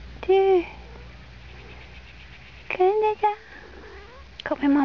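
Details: Kitten outdoors for the first time, meowing: clear, tonal meows that fall slightly in pitch, one early, a pair near the middle and one at the end, between quiet pauses, with a woman speaking Swedish softly nearby.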